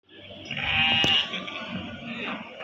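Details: Male breeding goats offered for sale at a market in Pakis, Malang, on 10 March 2022; one high, nasal, wavering bleat lasting about half a second, surrounded by market chatter and background noise.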